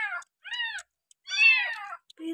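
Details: Abandoned village kitten being bottle-fed milk on the sixth day of care, meowing three times in quick succession, short arched cries with a faint voice nearby.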